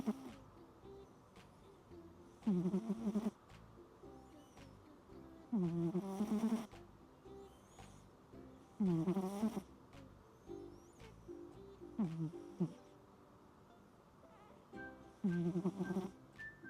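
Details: Cat snoring on a typhoon night under Typhoon Signal No. 10, described as pig-style snoring: five rasping, throaty snores with a buzzy, harmonic quality, one about every three seconds, with quiet breathing pauses between them.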